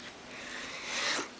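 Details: Domestic cat hissing in a cat fight: a steady, breathy, airy hiss of about a second and a half that swells in loudness toward the end, recorded indoors.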